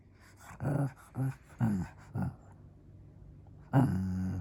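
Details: Shih Tzu asking for play, a string of four short low woofs and grumbles close together, a pause, then a longer drawn-out growling whine at the end.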